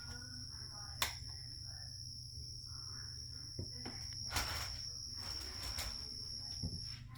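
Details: Carolina ground cricket kept indoors in a critter keeper, calling steadily: a thin, continuous high-pitched trill with a fainter higher overtone, broken by a few sharp clicks and taps from handling.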